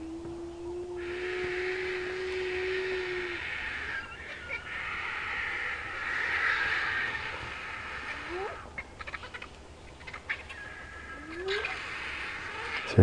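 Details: Two spotted hyenas whoop in answer to a lion coalition's roaring at sunrise in Sabi Sand, near a buffalo carcass: a long hooting note, then two fainter rising whoops from a smaller one, over insects' hiss and a vehicle's hum.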